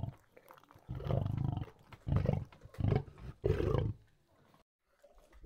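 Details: While feeding, a lion gives four heavy, rasping low growls, each roughly half a second to a second long, with brief gaps between them, then trails into quiet.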